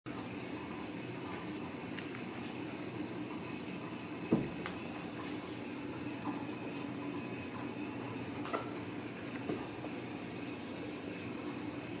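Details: Steady broadband hiss and low rumble fill the room, broken only by a couple of brief knocks near the middle and later; no animal voice stands out.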